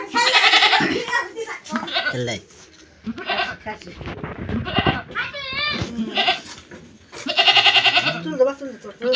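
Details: Goat bleating in loud, wavering, harmonic bursts at the start and again near the end, with people talking between the calls.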